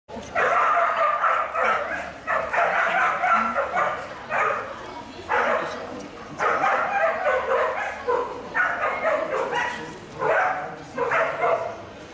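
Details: Whippet Pepita at the Coursing Argovia 2018 event: excited, high yelping barks arrive in tight bursts, almost without pause for twelve seconds, amid background chatter.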